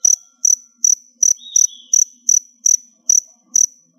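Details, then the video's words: Crickets nearly ready to molt, kept in a box indoors, give about nine high, regular chirps in four seconds, over a faint low hum and a brief thin whistle-like tone. "Cricket Sounds"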